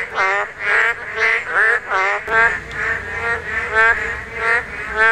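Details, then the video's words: Korean narrow-mouthed toads during spawning, the one season their voices can be heard. Rich, nasal croaks pulse roughly twice a second, with one clear caller in front and others overlapping behind it. "맹꽁이 산란!! 맹꽁이 울음소리"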